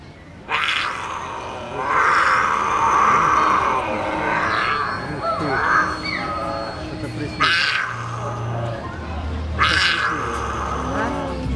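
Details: A captive mountain lion at an ecopark near Kharkiv, Ukraine gives harsh, rasping growls rising into strained, tonal yowls in repeated bursts; owner suspects it woke from a bad dream.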